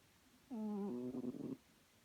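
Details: Chloe, a pet domestic cat, snoring: a single drawn-out tonal breath with a low steady buzz and stacked overtones, lasting about a second, against a quiet room background.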